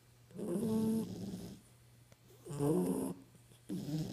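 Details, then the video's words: Snores from sleeping puppies, two long rattling inhalations with a slight whistled edge, separated by a quiet pause, a third breath starting at the end. "Snoring Puppies"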